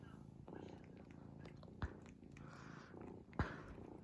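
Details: Low rumbling snores from a sleeping cat, soft breathy swells repeating roughly every one and a half seconds, broken by two sharp clicks near the middle and end.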